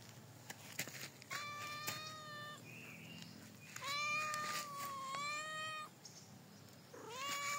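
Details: Cat in a provincial setting producing drawn-out, tonal meows, one long steady cry lasting about two seconds, followed by a shorter rising meow at the end, over a low background hiss and occasional clicks.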